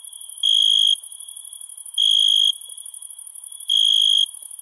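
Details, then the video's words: Night-time cricket calling, with three bright, buzzy trilled chirps, each about half a second long, coming roughly every 1.6 seconds against a constant thin, high-pitched background chorus of other insects. "Night Ambient Sound ( Cricket Sounds )"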